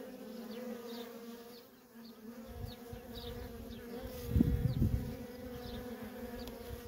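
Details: Worker honey bees streaming in and out of a feral colony, a steady droning hum with layered bands, swelling louder around the fourth second as individual bees pass close, with faint wind rumble beneath.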